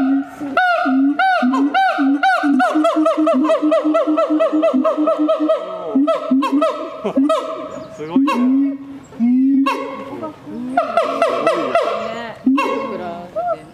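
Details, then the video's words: Siamang at night giving a long, dense run of rapid, loud hooting barks that repeat several times a second, briefly slowing and thinning near the middle before a fresh burst toward the end. "suara siamang di malam hari/the sound of gibbons at night"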